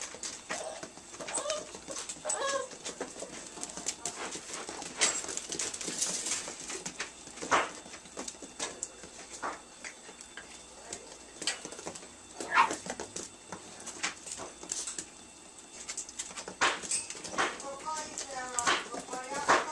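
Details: Nine-week-old Italian Greyhound puppies give short, high whimpering yelps near the start and again near the end, amid many sharp clicks and taps.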